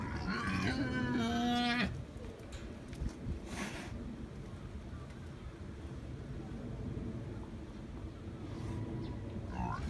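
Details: A wild boar at Tama Zoo, filmed 5 January 2017, gives a loud, harsh, rising squeal, then falls mostly quiet against background noise.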